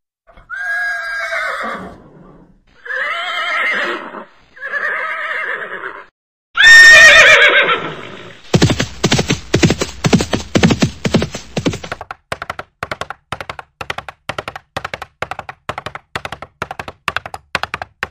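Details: Horse giving four short, shaky neighs one after another, followed by a long run of quick, rhythmic clip-clop hoofbeats that go on steadily to the end.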